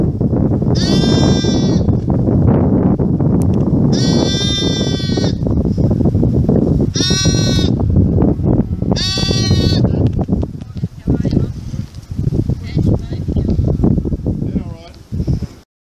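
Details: Lamb bleating: four loud, wavering, harmonic-rich baas spaced about three seconds apart over the first ten seconds, then softer scattered sounds, all over a constant low rumbling background noise.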